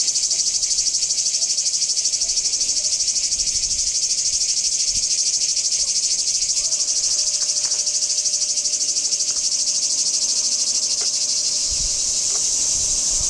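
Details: Kardamyli singing cicadas, 2013: an intense, even, high buzzing trill sustained without pause, finely pulsed, with a few faint clicks in the background.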